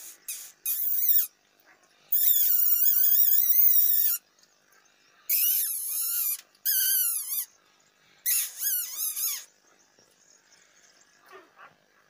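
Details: Puppies give high, piercing whines in bursts lasting one to two seconds, each wavering up and down in pitch, with short quiet gaps between them and faint squeaks near the end.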